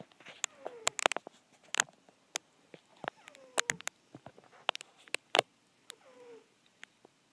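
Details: Halley, a napping pet cat, gives squeaky snores: thin, high, downward-sliding squeaks every second or two, mixed with many sharp clicks and taps close by in a small indoor room.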